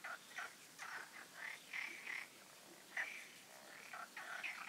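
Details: Night-time frog concert at the Oasis ponds, recorded before the full moon: overlapping short, raspy croaking bursts at mid pitch, about a dozen in under five seconds, several callers alternating, against a faint quiet background.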